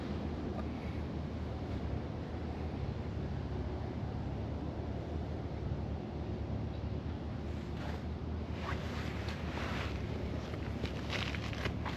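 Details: Steady wind rumble and microphone buffeting fill an outdoor recording, with no animal voice heard.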